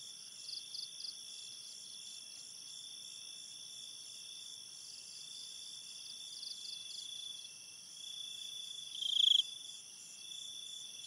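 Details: Crickets calling at night in a forest: continuous shrill layered trilling with scattered pulsed chirps, and one louder brief chirp late on.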